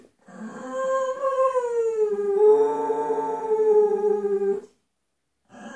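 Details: Gloria the Bull Terrier sings: one continuous howl that rises, dips lower and holds steady for about four seconds, then stops, with a new howl starting at the end.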